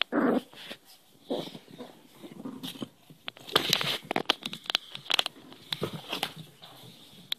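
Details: A Cairn Terrier puppy hand-wrestling in play indoors, a short loud growl at the start followed by softer grumbling growls mixed with scuffling, clicks and rustling from the rough play.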